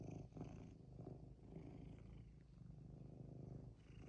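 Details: Domestic cat that wants something, giving a low, rough purr that holds at an even level through the short stretch, with faint rustling on top.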